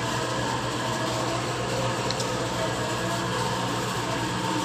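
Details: Loud, even machine-like noise with a low hum fills an indoor room for the whole stretch, with no animal voice.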